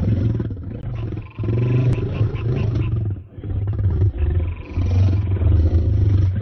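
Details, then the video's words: Male lions fighting for a lioness: low, throaty roaring growls in several heavy bursts, deep rumbling tones with short pauses between outbursts. "male lions fighting for lioness"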